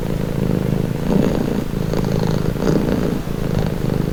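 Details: Calming purr of a house cat: a deep, even rumble that pulses rapidly and steadily, with gentle rises in intensity roughly every second or so and no other clear sounds.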